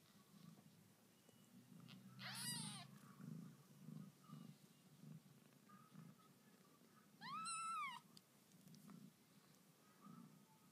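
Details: Newborn kittens of the house cat Lucy, indoors; two high, arching mews rise and fall several seconds apart over a steady low pulsing hum, with soft human talk in the room.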